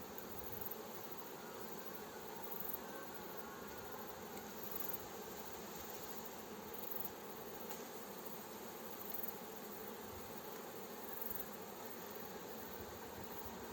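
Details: A fresh honey bee swarm drawn into its hive by a beekeeper, heard as a thick, continuous buzzing drone without pause, even in loudness throughout, with slight rustling underneath.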